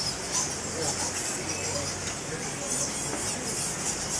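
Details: Colony of fruit bats at Goa Lawah Temple in Bali, crowded into and around a big cave mouth; shrill squeaks merge into a constant hissing chorus with brief brighter flickers and a faint low rumble beneath.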